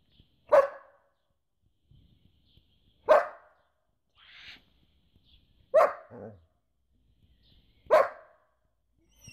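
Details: Four loud, sharp barks from a German Shepherd, spaced roughly two and a half seconds apart, with a softer whine-like sound between the second and third bark and a short low murmur after the third.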